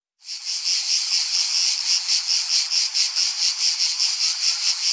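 A cicada sings a loud, continuous high buzz with a rapid pulsing throb.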